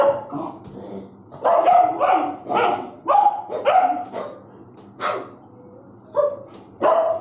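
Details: Aggressive barking from a bullmastiff, a rapid run of harsh, throaty barks in the middle, then spaced single barks near the end, some with a whining edge.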